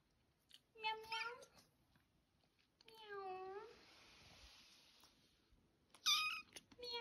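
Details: Kitten's first meow indoors: three thin, high meows, each a short falling-then-rising cry, separated by pauses, with soft rustling in between.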